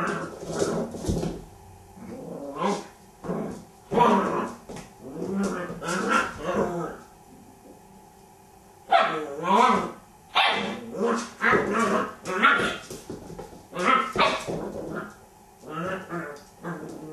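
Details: Border Collie puppy playing with a toy hippo, giving short harmonic barks and growly yips in bursts, interspersed with a person talking.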